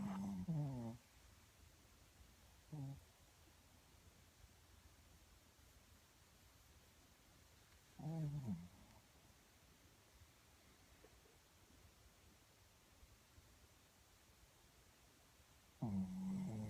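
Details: Small Shih Tzu dog snoring while asleep, cuddled under a person's arm; low rumbling snores with a buzzy harmonic edge come in four short bursts spaced several seconds apart, with near silence between them.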